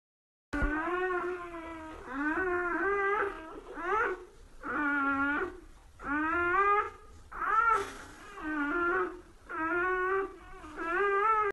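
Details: Newborn Labrador Retriever puppies crying indoors: about eight wavering, whining whimpers, each roughly a second long with short gaps, rising and falling in pitch, nasal and tonal, with no other sounds.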